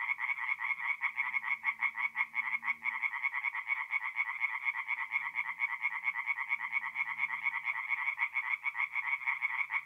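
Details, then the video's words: Singing tree frogs in a forest pond by night in April, north-east Italy; quick rasping pulses run without a break, many calling together in a loud layered chorus, with faint low murmurs underneath. "relaxing forest pond by night with singing tree frogs"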